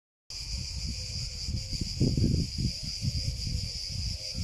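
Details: Cicada singing: a steady, shrill high-pitched buzz with a fast rhythmic pulse throughout, partly masked by heavy low rumbling and thumping noise that swells near the middle.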